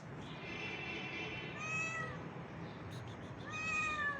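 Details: Pregnant homeless street cat wanting to play, outdoors: two drawn-out tonal meows, the second rising then falling, over steady background hiss.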